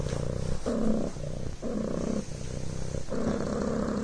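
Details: A Devon Rex kitten purring on a blanket; low, rolling buzz in rhythmic pulses of roughly half a second to a second, rising and falling with each breath.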